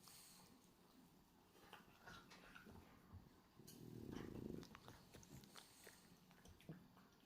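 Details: Hachi, a male pied black-and-white French Bulldog, asleep indoors with tongue flapping, gives one rough, low snore midway after a stretch of faint room noise and small clicks.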